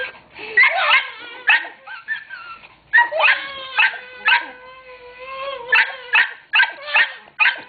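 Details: Dog described as angry, though only in jest, while people tease and coax it: short sharp yelping barks alternate with long, drawn-out whining tones, quieter gaps between bursts.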